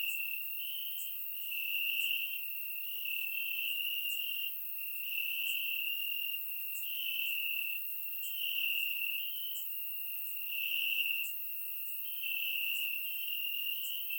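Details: On a warm summer night in Bulgaria, crickets chirp in the grass, recorded in surround sound; their piercing high trill runs unbroken, rising and falling in volume in slow waves every couple of seconds.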